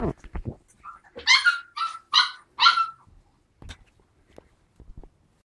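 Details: Four-week-old puppies, 3/4 Alaskan Malamute and 1/4 Siberian Husky, give a quick run of high, harsh yelping barks while play fighting.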